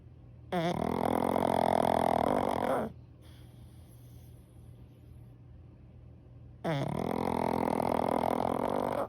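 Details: Pug asleep and snoring in top form: two long, loud, rasping snores of about two seconds each, separated by a quieter four-second pause with soft breathing, indoors.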